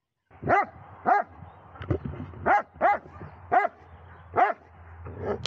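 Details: Aged Dobermann, Magmar Von Der Burgstätte at 11 years 3 months, barking steadily: about six clipped, ringing barks in irregular pairs over five seconds, with a low background hum.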